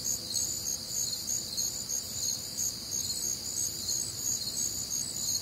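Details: Crickets on a warm, humid Midwestern summer night, a dense chorus of high, shimmering trills and pulsed chirps layered together, steady and continuous with faint low background hum.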